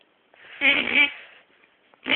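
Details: A dog gives a drawn-out, throaty, moaning grumble, followed by the start of another, after getting mad while having its head rubbed.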